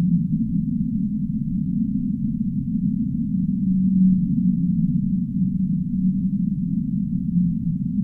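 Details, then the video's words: Faint, low sustained whale tone emerging midway and holding for several seconds, half buried in steady deep rumbling noise. "relaxing Whale sounds"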